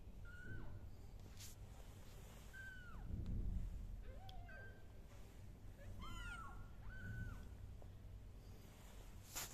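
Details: Kittens crawling on a carpet, wearing newly fitted collars, give high thin meows, each a short arched note, several overlapping in quick bursts over a steady low background hum.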